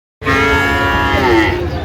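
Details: Friesian cattle among Friesian and crossbred bull calves being bought and sold at Raniganj market in Dinajpur, 25 January 2026; one loud, long, harmonic-rich moo that holds steady, then fades slightly near the end.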